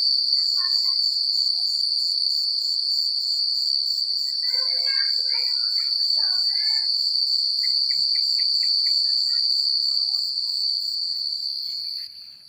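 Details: Night chorus of crickets in quiet rural countryside: an unbroken, shrill, evenly pulsing trill, with brief bursts of softer, lower chirping notes from other callers midway and a quick series of short repeated chirps toward the end.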